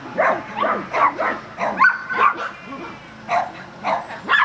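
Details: Agility training with a Border Collie in Vale do Sol, Guapimirim: spaced, punchy barks with a few quieter yips, and a short lull near the middle.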